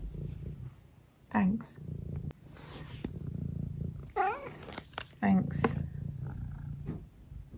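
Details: Eric, a senior tabby cat from England, purrs steadily as a low rumble while a person talks to him. Three short, wavering mrrp-like chirps break through the purring about a second apart, indoors.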